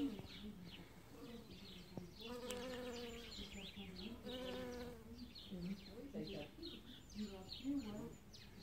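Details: Pollen-gathering bee at early spring blossoms, its humming drone strongest midway through and wavering in pitch, broken by pauses, with many sharp bird chirps scattered throughout.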